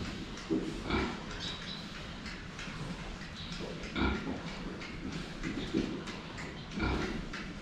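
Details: Drinking pigs facing the camera give short, throaty grunts at uneven gaps, several in quick succession near the end, over a constant bed of slurping water.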